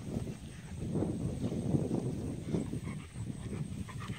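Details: Rottweilers in rough play on the sixth day together: a 5.5-month-old female pup and a 1.5-year-old male, his first extended contact with another dog. Low, rough, rumbling growls rise and fall in short bursts.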